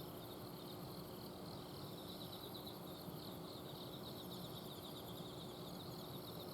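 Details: Autumn insects calling at night in a garden in Azumino, Japan: several overlapping high, pulsed trills in steady rows, one very high and shimmering, over a constant low hum from an air-conditioner outdoor unit.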